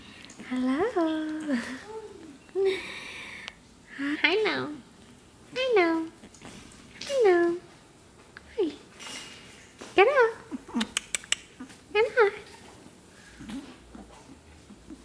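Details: Shih Tzu puppies, eight weeks old, four littermates playing together indoors on their last day before two leave for new homes; high arched whining calls rising and falling, repeated every second or two, with a person's voice nearby.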